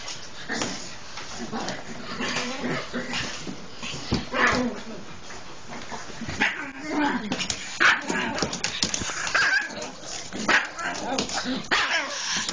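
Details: Japanese Chins playing, with dense overlapping yips, whimpers and short barks in a continuous scuffling jumble, broken by clattering noise and brief human speech.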